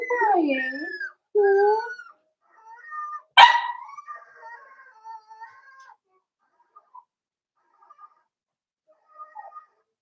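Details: Four-week-old Cavalier King Charles Spaniel puppies in a home puppy pen whimper with thin, wavering whines that rise and fall over the first two seconds. A sharp knock follows, then soft faint squeaks trail off into near silence.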